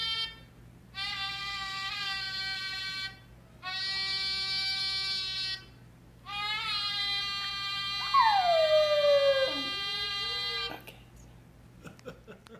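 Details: Six-month-old Miniature Schnauzer howling to a repeated trumpet blast from an online toy page; three long brassy trumpet notes are heard, then the dog's high falling howl joins the last one before it fades into quiet.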